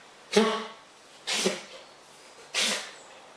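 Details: Wild fox named Frank indoors in a kitchen during a sneezing fit: three sharp, breathy bursts about a second apart, each a quick explosive snort fading fast, in a quiet room.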